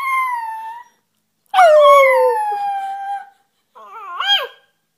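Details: Puppy howls, with two long, steady, slightly falling tonal wails followed by a shorter wavering cry that rises and breaks, over a quiet background.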